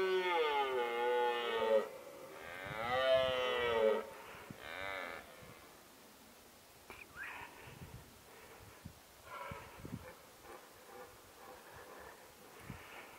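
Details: Red deer stag in rut, recorded on a Nikon D7100 with a 300mm lens, gives three loud, strained, harmonic roars with wavering pitch in the first few seconds, followed by fainter, broken grunting calls and scattered knocks.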